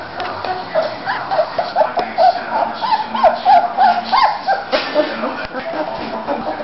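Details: Three-week-old Bulldog pups in Florida, males and females, playing and moving around together; short high squeaky yelps and whines come in quick irregular bursts, several overlapping, with faint rustling between them.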